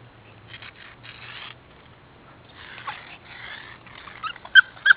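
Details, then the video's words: Mini Austrian Shepherd puppies wrestling at play: soft scuffling and rustling through most of the clip, then two sharp, high yips close together at the very end. "Puppy Wrestlemania"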